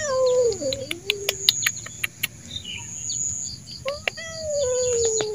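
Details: Fierce wild street cat, angry and scared as someone slowly approaches to tame him, gives drawn-out descending meows, one long wavering cry then another; birds chirp steadily in the background with sharp clicks and knocks.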